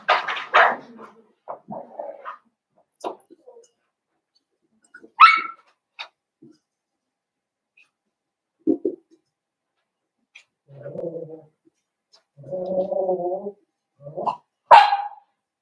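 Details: Young blenheim Cavalier King Charles Spaniel puppies in an indoor puppy pen: scattered short barks and yips separated by silences, plus a few lower, buzzy grumbling whimpers near the end.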